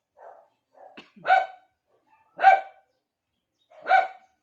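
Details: Pet Shih Tzu barking to call the attention of another dog; three loud, sharp barks spaced about 1.2 seconds apart, each preceded by softer low whines or grunts, in an otherwise quiet room.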